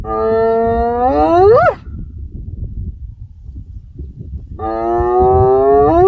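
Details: A hyena giving two drawn-out, harmonic calls that rise in pitch, the first swooping sharply upward at its end, separated by a few seconds of quiet low rumble.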